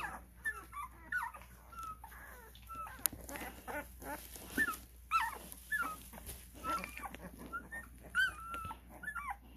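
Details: Twelve-day-old Cane Corso puppies at a kennel squeak and whimper in many short, thin cries under a busy background of rustling and shuffling.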